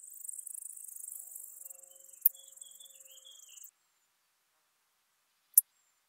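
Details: Ornate bright bush-cricket in Seewiesen, Germany, 28 June 2019, picked up with an ultrasound detector: a fine, high rasping buzz pulsing for nearly four seconds, then silence broken by two sharp clicks.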